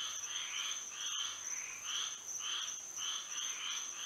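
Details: Chorus of frogs at night in Florida under the moon, short buzzy croaks bursting in irregular groups, one brief dropout near the middle, over a persistent high whining drone.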